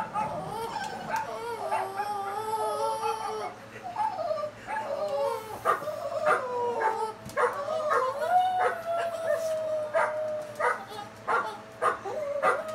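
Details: Boston Terriers, woken from sleep, react to barking dogs on a YouTube video with drawn-out, wavering howls punctuated by sharp barks and yips, the video's barking dogs audible behind.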